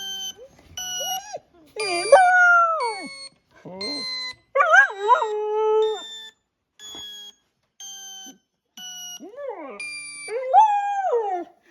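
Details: Border Collie puppy aged six months responding to a sound that dogs react to with a series of long, wavering howls. Some howls fall sharply at the end, and others hold a level pitch. Steady synthetic tones play in brief bursts throughout.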